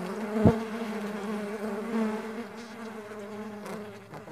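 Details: Continuous humming of farmed stingless bees, a low drone that bends gently in pitch. A sharp knock comes early on and a fainter tap follows later.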